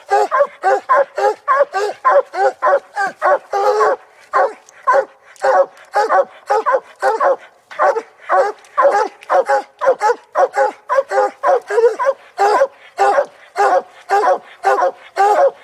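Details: Hunting dogs barking at a tree where a raccoon is treed during a coon hunt; rapid, regular barks repeated about twice per second, several overlapping voices, with only brief pauses throughout.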